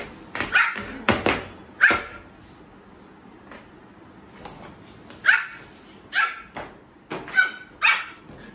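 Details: Pomeranian puppy that has just begun barking, letting out bright, high-pitched yaps, three quick ones at the start, a pause, then five more in a rapid closing run, heard indoors.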